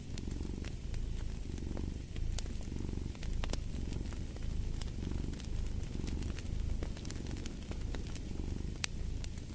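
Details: Rhythmic cat purring, a throaty low drone swelling and dipping with each breath roughly every second, accompanied by crackling and popping from a fire in a fireplace.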